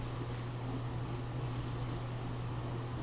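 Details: A steady low electrical or fan-like hum with faint background hiss runs through the recording, and no animal voice is heard.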